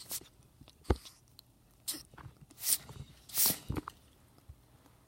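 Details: Pet ferrets with a cold sneeze indoors in a small room: short, sharp, breathy bursts come singly and in a quick pair, spaced irregularly over a few seconds, with soft rustling and shuffling between them.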